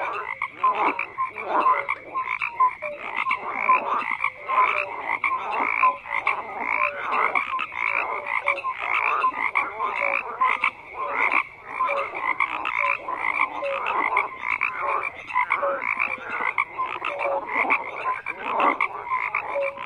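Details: Frogs keep up a long, dense croaking chorus, rasping pulsed calls stacked over one another with scattered short tones and a brief lull near the middle.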